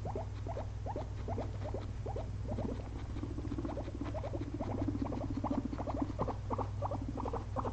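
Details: Pair of pet guinea pigs resting after a long day spent eating frozen blueberries, giving a string of brief rising squeaks several per second, joined mid-way by a soft rumbling purr-like drone, all over a constant low electrical hum.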